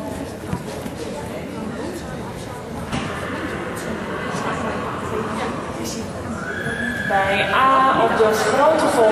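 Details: Friesian horse during its qualifying ride for the Euro Friesian Cup final on 27 November 2011; Dutch arena commands and crowd murmur, then near the end a high, quavering whinny with wavering harmonics rises over the background.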